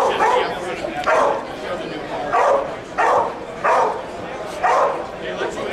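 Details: Police dog at a control-around-distraction demonstration at the 2009 law dog conference in Las Vegas, Nevada. Gruff barks repeat about once a second, with men talking and a crowd in the background.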